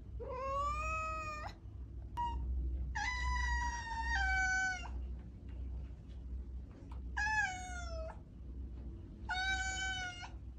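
A domestic cat meows four times, each call a clear, drawn-out wail lasting a second or more and separated by short pauses. A steady low hum runs beneath the calls throughout.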